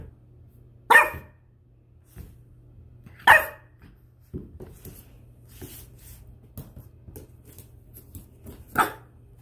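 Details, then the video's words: Spud, a 10-week-old French Bulldog puppy at home, barks three times at nothing in particular as he finds his voice: short, bright yaps spaced about two to three seconds apart, with small knocks and scuffles between. "French Bulldog Puppy vs. Nothing in particular - puppy is discovering his voice!"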